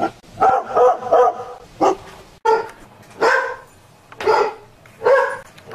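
A greyhound barks in short, sharp bursts, some doubled, spaced irregularly about a second apart.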